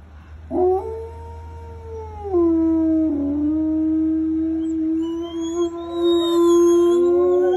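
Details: Gray wolf. A wolf holds a long, smooth howl that slides down partway through and carries on steady. Near the end, higher rising and wavering howls from other voices join in, forming a brief chorus.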